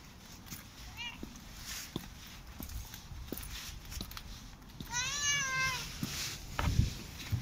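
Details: Korat cat, unhappy at its owner leaving for work, gives a short rising meow early on, then a longer, louder, wavering drawn-out meow near the end, over footsteps and soft rustling indoors.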